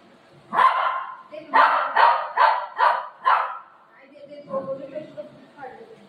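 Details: Pet dog named Buzo, said to be angry at his mummy, gives a run of five sharp barks about half a second apart, then quieter grumbling, whining sounds and soft voices in the background.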